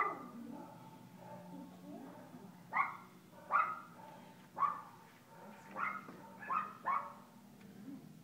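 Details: Playful yaps from Kooper, an Alaskan Klee Kai puppy, at Paws Pet Resorts day care in Lake Forest; soft muffled sounds at first, then about seven sharp high barks in a loose rhythm over steady low indoor hum.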